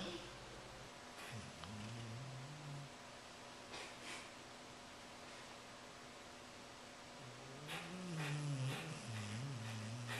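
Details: Bull Terrier giving low, moaning grumbles with a wavering, sliding pitch in two drawn-out bouts, one early and a longer one near the end, separated by quieter rustling and faint background hum.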